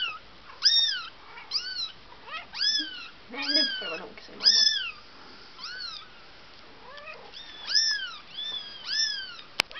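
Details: Bengal kitten, four weeks old, visited at the breeder in December 2007, meows insistently: about a dozen shrill, arching cries rising then falling, roughly one every second, with a few shorter squeaks between and a sharp click at the end.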